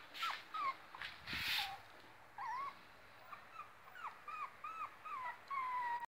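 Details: A female Yorkshire Terrier gives a run of high, thin whimpers and squeaky yips, with curling whine-like notes.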